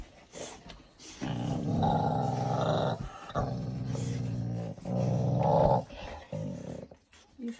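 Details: Cane Corso puppies greeting visiting friends: long, low, rumbling growls sustained for several seconds at a time with short breaks, plus some snuffling, indoors.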